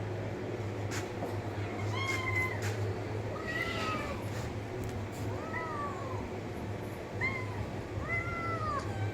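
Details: Cat meowing repeatedly with bright, bowed mews spaced one to two seconds apart, the pitch climbing and then dropping in each call, against a constant low electrical hum.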